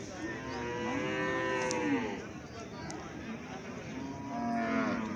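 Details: Young calves calling with nasal, drawn-out moos, one long falling call early and a shorter higher one near the end, quiet between.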